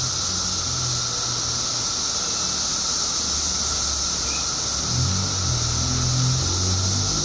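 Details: A 17-year periodical cicada emergence in Illinois produces a continuous shrill, hissing drone at high pitch, unchanging over the seconds, while a lower steady tone and intermittent low rumbles sit underneath.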